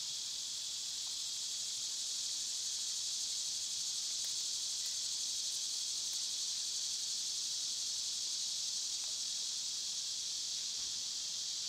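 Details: Constant high, rasping drone of cicadas in summer, steady throughout, with a few light ticks and taps scattered over the unbroken buzz.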